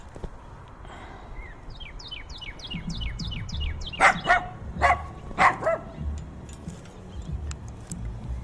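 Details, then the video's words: Binaural in-ear recording of dogs barking fiercely in heavy wind: a songbird's descending chirp series first, then a burst of five harsh barks over about two seconds, with low wind rumble throughout. "Fiercely Barking Dogs"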